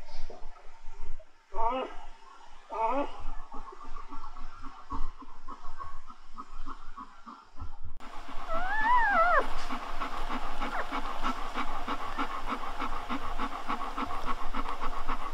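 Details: Newborn Golden Retriever puppies, heard during the litter's birth, give thin, squeaky whimpers that rise and fall in short bursts.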